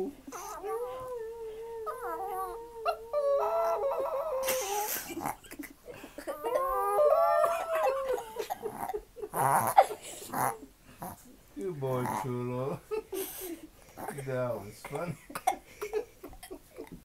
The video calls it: Chihuahua Howling Like a Wolf